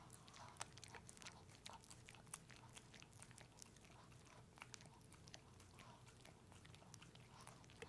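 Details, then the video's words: Sticky mouth sounds from Pepe the dog enjoying peanut butter, steady sequences of soft clicks and wet smacks with occasional sharper snaps, set against a low continuous hum. "Watch my dog eat peanut butter!"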